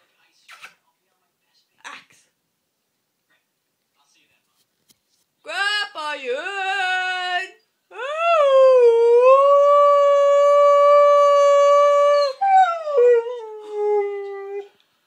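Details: An 8-month-old Siberian Husky puppy howls at the scrap man, a rising wail swelling into a long, steady, tuneful note.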